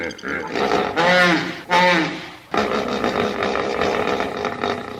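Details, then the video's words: Hippopotamus bellowing: two loud, wheezy harmonic blasts about half a second apart, followed by a rough, noisy rumbling roar that carries on steadily. "Hippo Sounds (3 Minutes) – Hippo Calls"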